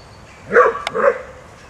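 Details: Groenendael on a walk on 3 May 2012, with three Groenendaels and a Border Collie together: two short, harmonic barks a half-second apart, the first sharper, the second slightly lower and drawn out, with a quick click between them.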